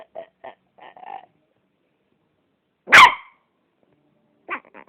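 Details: Freaky noises from a Yorkshire Terrier. Four short nasal yips come first, then silence and one loud harsh burst. Two quick sharp yips follow at the end, with no other sounds.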